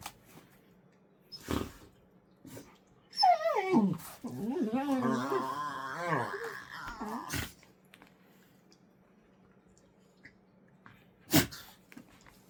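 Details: Two pet dogs play-wrestling with scary-sounding but friendly dinosaur-like noises: a long undulating growling moan of about four seconds with quick pitch wobbles, framed by sharp thumps and knocks before and after.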